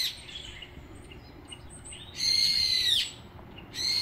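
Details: Nureongi, a fearful stray mother cat, lets out one sustained high meow that slides gently downward, followed after a brief gap by the start of another cry.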